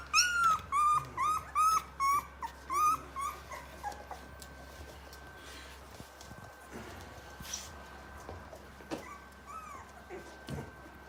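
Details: Rottweiler puppies, 23 days old, give a quick run of high, arching whimpers, then softer scattered whines.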